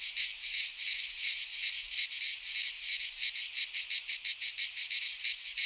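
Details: Midsummer cicada chorus from a Greek pine forest, a loud harsh high-pitched buzz pulsing in quick regular beats, nearly three per second, continuous with no birds or people.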